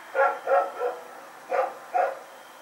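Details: Rex the dog, running about in the night on September 21, 2018, gives a quick run of three barks, a brief pause, then two more, each bark short and clipped.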